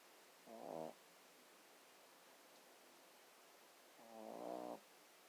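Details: A sleeping dog snoring indoors: two short snores about three and a half seconds apart, each a harmonic, nasal rasp with a rough upper buzz, quiet background between.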